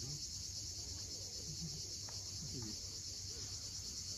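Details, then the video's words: Cicadas at sunset on the steep coast of Cape Fiolent, Crimea, making a steady, unbroken high-pitched buzzing drone that never pauses; faint low rumbles of sea waves sit underneath, with a few brief soft chirps. "Cicadas at sunset."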